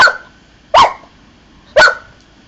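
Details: Three evenly spaced sharp barks, about one second apart, from Bonny, an Old English Sheepdog asked to count to three during garden tricks.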